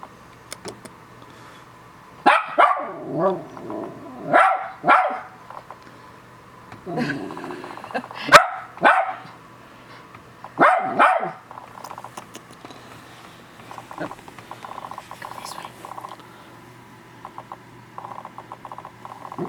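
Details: Mother West Highland White Terrier barks indoors as her three-week-old puppies are let out of their pen onto the carpet for the first time. Sharp barks come in short bursts of two or three, with a woman talking in between.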